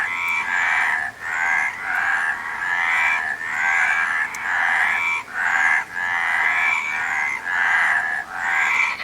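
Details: Frogs croaking in a dense chorus, rasping pulsed calls in bursts of roughly a second broken by short gaps, the bursts overlapping so the sound barely stops, with no other clear sounds.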